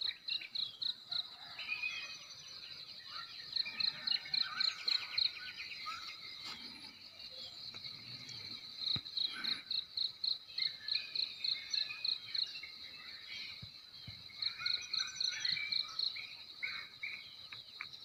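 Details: Village crickets on a Timor morning, Nekmese, South Central Timor, NTT: long trains of shrill, rapid chirps in repeated bursts over a continuous high hum, with scattered bird chirps and occasional clicks.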